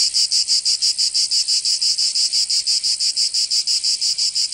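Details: Summer cicada song from Provence in southern France: a shrill, buzzy drone chopped into quick, very even pulses, each throb bright and metallic, continuous and unaccompanied.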